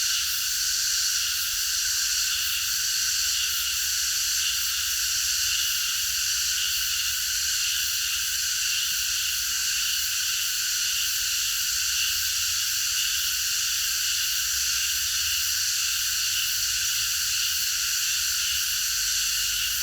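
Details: Night-time cicada chorus recorded in a park: many insects blending into a continuous, even, hissing high drone that neither rises nor fades across the whole stretch.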